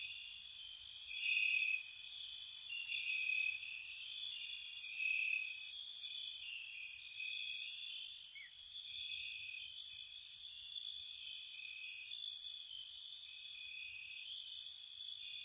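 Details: Spring night cottage ambience of gentle crickets: a continuous high-pitched trill chorus layered with rapid, sharp chirp pulses, around four per second, irregularly spaced and varying in loudness.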